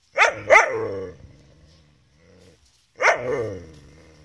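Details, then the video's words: Beau the Gerberian Shepsky urging his collie cross German Shepherd sister Venus to play, though she does not want to; two quick sharp yelping barks, a pause with low grumbling, then another drawn-out yelp that fades. "Beau wants his sister Venus to play with him."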